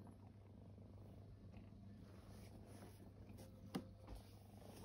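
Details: Formerly homeless kittens resting and purring, a soft low vibrating drone held throughout, broken once by a brief sharp tap near the end.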